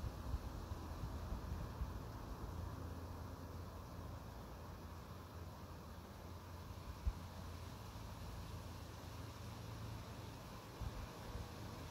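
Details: Steady low rumble of wind or passing traffic throughout, with a faint broadband hiss and no animal calls.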